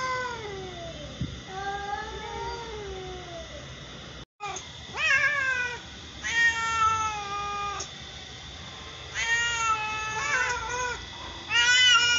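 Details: Same-coloured mother and daughter house cats meowing: soft wavering calls at first, then a run of louder rising-falling meows in quick succession, some overlapping.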